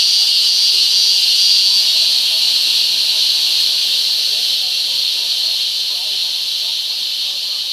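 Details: Taiwanese cicada producing a sustained shrill, rapidly pulsing buzz, strongest in the first seconds and easing slightly in loudness toward the end.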